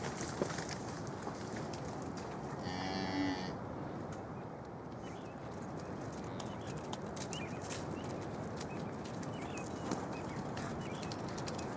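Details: Hereford cattle, a cow and her nearly four-week-old calf just released back into the herd after being kept apart since the calf's birth; one short, tonal moo lasting under a second, over steady wind and rustling noise.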